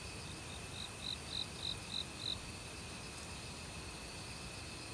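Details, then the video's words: Autumn cricket calling in a forest beside a mountain stream: a short run of five bright, high chirps evenly spaced about a third of a second apart. Steady rushing water and a faint continuous insect hum run underneath. "가을 귀뚜라미 소리"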